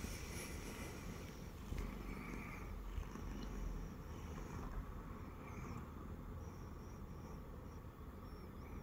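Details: Siamese cat, a former stray kitten, lying on its owner's belly indoors and purring: a steady low rumbling drone throughout, with faint soft higher rustles and brief clicks near the middle.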